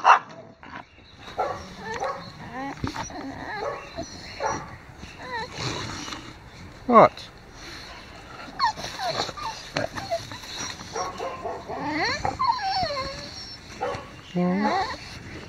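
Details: Neighbour's dogs giving a scattered run of high, wavering whines and short yips, some sliding up and down in pitch, mixed with people talking nearby throughout.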